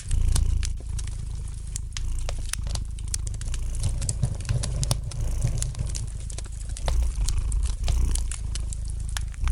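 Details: Domestic cat purring gently beside a fireplace, a low steady rumble under constant sharp crackles and pops of burning wood indoors.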